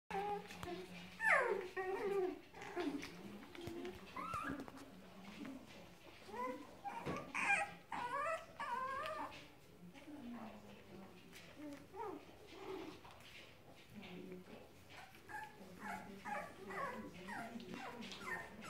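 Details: Litter of four-week-old Cavalier King Charles Spaniel puppies; many short, high, rising whines and squeaks overlap irregularly, with people talking in the background indoors.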